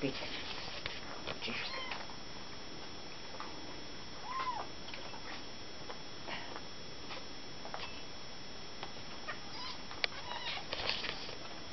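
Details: A small cat giving short, faint, high meows scattered through the recording, with a couple of rising-falling calls standing out, over a low hum and people talking in the background.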